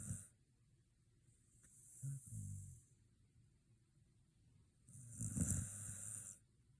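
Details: Sleeping Shiba Inu after a dog run outing, giving two low snorts with a breathy hiss on each breath, separated by about three seconds of quiet.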